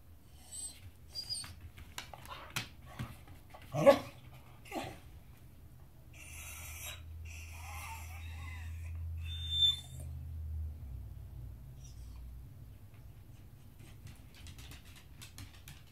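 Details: Beagle barking insistently while demanding his dinner indoors: a pair of short, sharp barks a second apart midway, surrounded by scattered clicks and clatter, a low steady hum, and a brief high squeak afterwards.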